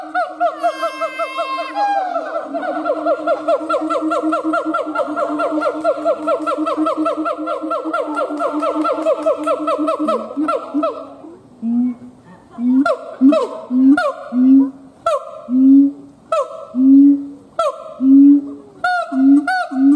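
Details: Siamang gibbon howling and performing: a long run of rapid, rising whoops with strong harmonics for about eleven seconds, then louder booming hoots spaced roughly a second apart, each swelling and fading.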